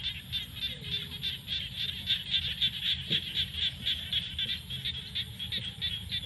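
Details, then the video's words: Frogs calling in fields at sunset during the rainy season, a dense, steady chorus of fast, high, buzzy pulses running without pause, with a faint low rumble underneath. "The sound of frogs crying in the fields at sunset during the rainy season"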